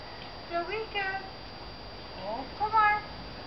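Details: Shih Tzus of the New Lock's Arrow kennel let out together into a garden; a high, wavering whine in several short rising-and-falling bursts, with a person speaking nearby.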